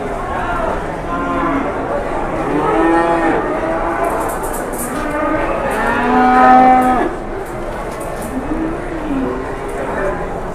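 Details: Cattle at Pasar Jelok livestock market in Boyolali, Indonesia, where a giant cow drew a crowd: several long harmonic moos, some rising then falling, overlapping one another across ten seconds, with a steady market murmur beneath.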